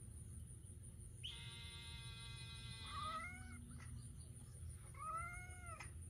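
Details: Pet cat calling after hearing a loud noise: a long flat squeal-like tone, then two arched harmonic meows about two seconds apart, over a constant low background hum.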